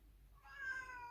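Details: Indoor domestic cat gives a loud crying meow at the sight of its carrier, ahead of a vet visit for yearly vaccination; a single sustained, slightly falling wail after a short quiet start.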